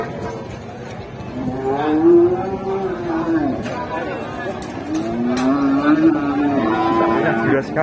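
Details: Angry bull charging at its owner in Indonesia, bellowing in long drawn moos that rise and fall, two main calls about three seconds apart over a steady rumbling background with music.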